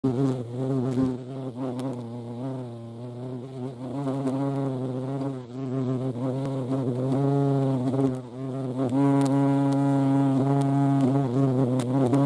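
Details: European hornet (Vespa crabro) at a feeding place: a loud, steady, low droning buzz with rich overtones, its pitch wavering and dipping several times, then steadier in the second half.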